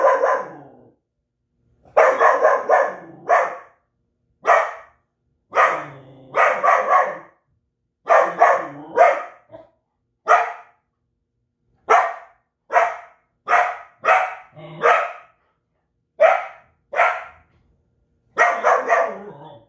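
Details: Belgian Malinois barking hard and fast, loud harsh barks in bursts of two to four with short pauses between, continuing steadily throughout without other sounds.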